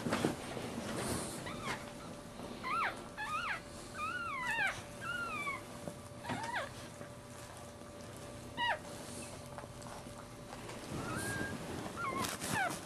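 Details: Newborn Maltese puppy from a litter born in March 2009, the birth including a breech delivery; thin, high squeals rising then falling, given in short bursts of one to three, with rustling and handling noise between them.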